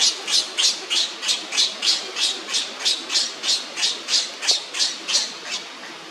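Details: Leo the monkey, lying on the ground and crying as Libby pesters him, gives an unbroken series of sharp, high squawks, roughly three each second, evenly spaced and loud throughout.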